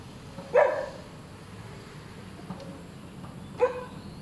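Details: Two short barks from a hyperactive dog, one early and one near the end, separated by a long gap of low background rumble.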